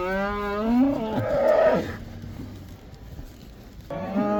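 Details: During the Dutch cow dance, as cattle including black cows head back into the pasture, a rising moo swells into a strained, higher bellow, quiet follows, then a new moo begins at the end.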